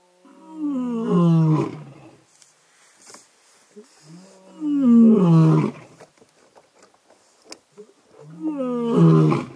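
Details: Old wild male lion and his son roaring in unison at night in Sabi Sands, close beside a safari vehicle; three deep, moaning roar bouts roughly every four seconds, each swelling then falling in pitch, with faint rustles between.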